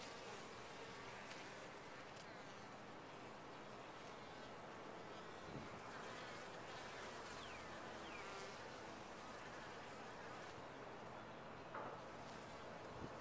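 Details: Honey bees in a top-bar hive: a steady, dense hum of many wings fills the clip, with faint higher whines of individual bees passing close and a few soft knocks.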